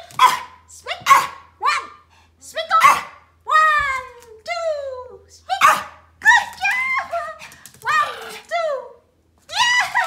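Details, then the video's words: Pomeranian barking during playtime, short sharp yaps repeated in irregular bursts, several falling yelping notes, with a woman's voice counting and praising in a small indoor room. "pomeranian barking playtime: the funniest bark"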